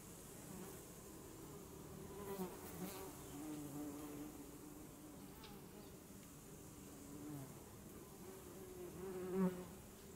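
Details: Honeybee buzzing: a steady low hum with fine stacked harmonics runs through, swelling briefly as a bee passes close near the end, with faint outdoor background.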